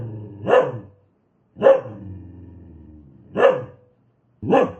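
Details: Single loud barks from an aggressive dog, one roughly every second and a half, with a low droning growl filling the gap between the second and third bark.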